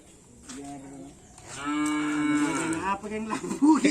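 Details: Cattle at karapan sapi bull race training at Asemanis field, with the Dracula Sakti team: one long, drawn-out harmonic moo lasting well over a second, rising then holding steady, with human voices and background noise before and after.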